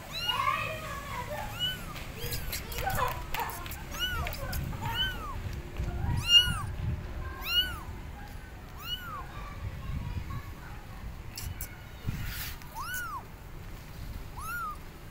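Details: Abandoned kittens perched on a gate, meowing loudly to call their mother; a steady series of short, high, arched meows about once a second, several callers, with low rumble and a faint voice underneath.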